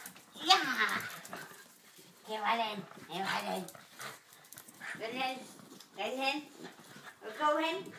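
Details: Oskar and Mutti, two dogs playing together, trade short wavering whine-barks that rise then fall, six or so bursts spaced about a second apart, against a quiet room with occasional human talk.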